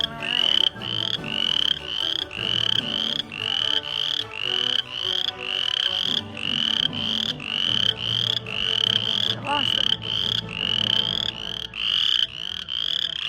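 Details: Insanely loud frogs heard on a trip to a countryside hometown: dense chorus of high, rising trilled calls repeating roughly every half second, overlapping one another, with faint lower sounds beneath.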